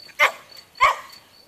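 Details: Mixed-breed village dog in a garden, described as crazy, giving two short, sharp, bright barks about half a second apart, with a faint steady high tone in the background.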